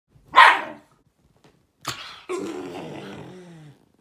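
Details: Shiba Inu dog gives one sharp, loud bark, then after a pause a short yelp followed by a drawn-out, wavering harmonic whine that slowly falls away over about a second and a half.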